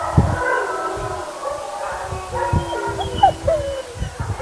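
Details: Several German Shepherds in their pack's howling sequence, which they do once or twice a day, howl together in long, overlapping tones that waver and slide in pitch.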